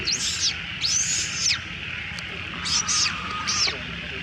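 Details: Little female monkey crying loudly as other monkeys steal her food: four high, arched, wailing cries, each rising then falling and lasting about half a second, come in two pairs over four seconds against a steady insect hum.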